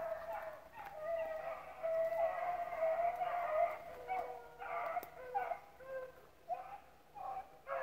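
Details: Dogs hunting rabbits at Relay Hunt club, pups included; one long sustained howling bay dominates the first half, followed by choppy bursts of shorter bays and yelps from the pack.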